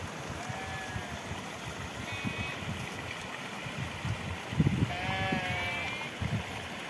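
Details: Rams in a fight at Maikot in the Himalaya. Several faint, wavering, nasal bleats rise over constant rough background rumble and thudding, with a longer, clearer bleat near the end.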